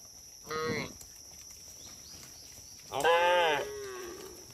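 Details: A herd of cattle wandering on a road; one brief moo, then after a pause a louder, longer bellow with rich harmonics that rises and falls before fading.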